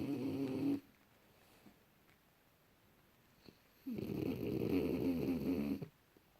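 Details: Junior, a French Bulldog sleeping deeply in January 2018, snores in two loud, rasping, buzzy bursts, one brief and one about two seconds long, separated by a quiet pause of breathing.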